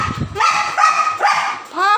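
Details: Dog Leo, described as quarrelsome and very happy after snatching a pointed gourd, barks loudly and repeatedly, sharp bursts roughly every half second, with a woman's voice heard at the start.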